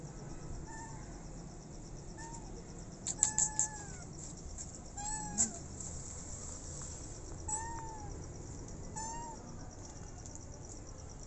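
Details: Pregnant feral street cat named Maya, starving, eating food then stopping and backing away when scared. Short high meows at intervals, mid-pitched and slightly bending, over a steady quiet background hum with a person speaking softly.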